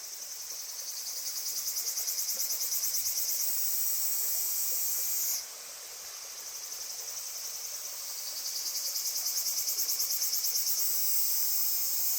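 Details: Cicadas at the Genka River, heard as a refreshing sound: a high, rapidly pulsing buzz that swells over several seconds, drops off suddenly midway, then builds again into steady pulsed shrilling. Other cicadas drone continuously in the background.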